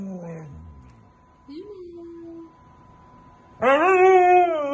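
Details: Siberian Husky upset at not being allowed outside: a falling whine, a quieter held whimper, then a sudden loud harmonic scream that holds high and wavers before slowly dropping; a faint steady hum in the background.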